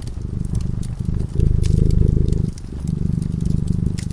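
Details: Sleeping cat at a cozy fireside purring; a low, pulsing rumble grows louder through the middle, drops briefly, then resumes, while small pops and crackles from the burning fire sound faintly above it.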